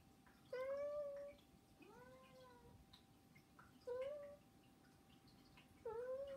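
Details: Domestic cats, three pets in a home, begging with meows: three short tonal meows, two rising and level, spaced a few seconds apart, with a faint steady hum behind.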